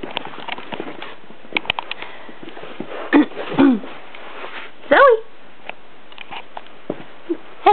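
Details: A female Miniature Dachshund, Zoe, gives short, rising whines and yips while playing with another dog, Jasper, amid sniffing and a person's voice.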